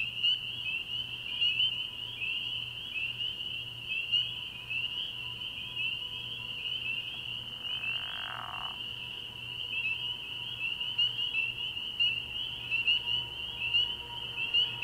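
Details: Spring peepers calling from a frog pond at night early in the year, a dense unbroken chorus of high peeping notes merging into one steady shrill band, with a brief lower rasping sound near the middle.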